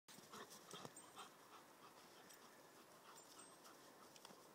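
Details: German Shepherd, nine months old, at play with an English Springer Spaniel puppy, its first time playing with a puppy since leaving its siblings; quiet, rapid panting breaths over a steady hiss, with a few faint high clicks.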